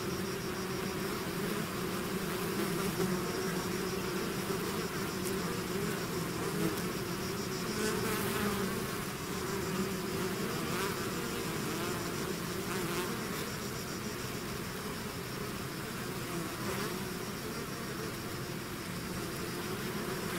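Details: A swarm of bees out of its hive fills the air with a constant, rough, layered buzz. The level holds nearly flat for twenty seconds.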